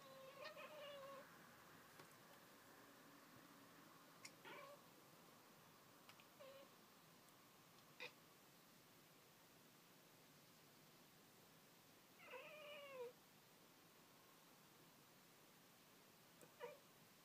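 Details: Pringles, a house cat watching birds outside, makes sparse chattering calls: a short chirp at the start, scattered clicks, then a longer bent, warbling trill near the end, with long quiet gaps between.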